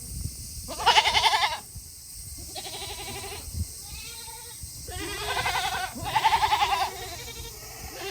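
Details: Tokara goats at a small farm in Himi, Japan, on a hot summer day in August, eager to go back to their shed; loud quavering bleats pulse rapidly, overlapping with softer bleats from other goats.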